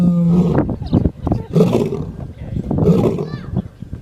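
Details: Lion snoring: deep, rough rasping breaths in low growly bursts, a broad noisy rush roughly every one and a half seconds, with a steady low humming tone near the start.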